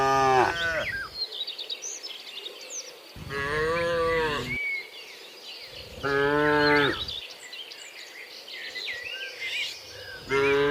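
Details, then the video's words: Tame cattle herded toward their pen, repeated full-throated moos about every three seconds, steady and harmonic, while small birds chirp and insects buzz behind them. "menggiring kawanan sapi lembu jinak menuju ke kandangnya, suara sapi moo"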